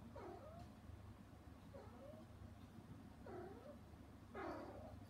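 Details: Mother cat Hana, shut out behind frosted glass while her kittens eat weaning food, meows toward them: four short bent meows about a second apart, rising then falling, over a steady low hum.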